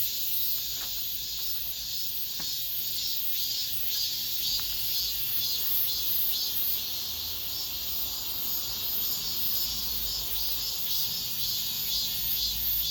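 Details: Cicadas singing at the end of summer in an apartment complex: a dense, shrill, continuous buzzing chorus with a steady pulsing swell about twice per second, plus a few faint clicks.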